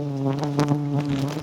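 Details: Giant honey bees humming at a small wild nest in Thailand, a dense, even low buzz with stacked harmonic tones and a few faint rustling taps.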